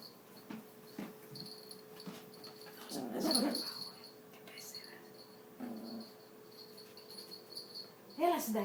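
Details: Angry Yorkshire Terrier indoors in a small room: brief harsh growling and whining bursts, strongest around three seconds and again at the end, while a person keeps calling to the dog in Greek throughout.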